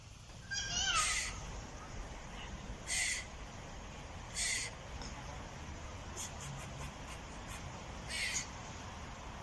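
A squirrel calls with short, harsh, hissing bursts, spaced irregularly one to three seconds apart. Fainter, thin chirps sit between them over a steady low background rumble.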